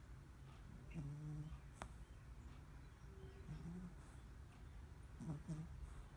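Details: Snoring Cavalier King Charles Spaniel, Preston: three short, low, squeaky whistles spaced a couple of seconds apart over a steady muffled rumble, with a faint click between them.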